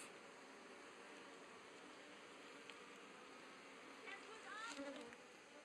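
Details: Asian honey bees in Thailand, 2011, in a log hive being opened with honey inside; steady high buzzing hum of many bees throughout, a few clicks near the end.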